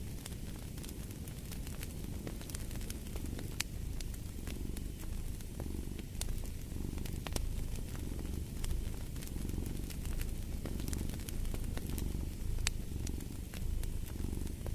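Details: Low rumbling purr from a cat, rhythmic and unbroken, swelling with each breath, set against dense crackling and popping from a fireplace.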